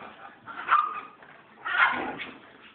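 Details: Pet dogs at play, a Shih Tzu chasing a German Shorthaired Pointer around for several minutes: two short, sharp yelping bursts about a second apart, with faint background voices.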